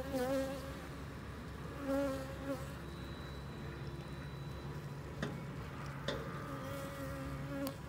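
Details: Honey bees at a hive being treated with harvested rhubarb leaves against varroa mites hum steadily, a low droning buzz that swells and fades as bees pass close.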